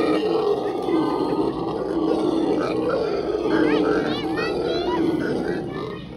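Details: Howler monkeys screaming at John Ball Zoo, a steady low droning roar running through the whole stretch, overlaid by people talking and children's voices with rising chirpy tones toward the end.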